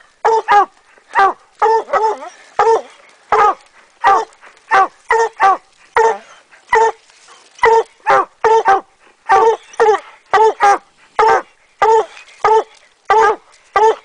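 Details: Two coonhounds, Rocky and Tonka, baying up a tree on an Idaho raccoon hunt in 2011 at midday; rapid, overlapping choppy barks with strong harmonics, nearly continuous across the stretch, from both dogs.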